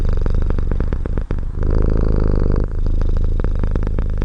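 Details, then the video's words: Close cat purr as an unbroken low rumble with a faint vibrating texture, one brief dip for a breath near the middle. "Cat purr"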